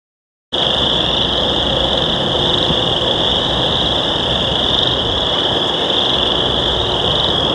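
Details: Chorus frogs give their mating call together in local wetlands on a warm spring day after heavy rain, their high trills merging into a steady, shrill, deafening, unbroken drone.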